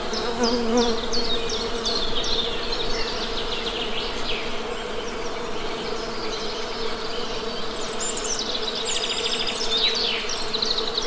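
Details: Constant droning buzz of honey bees under busy, rapid high chirping from birds that comes in two bursts, at the start and again near the end.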